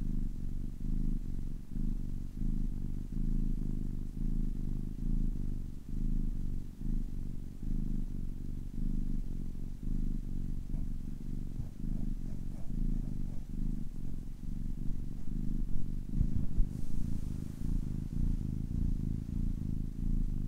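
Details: Purring of a 10-week-old kitten, a deep continuous throaty rumble rising and falling with each breath through twenty seconds, short pauses marking inhale and exhale, a faint soft hiss near the end.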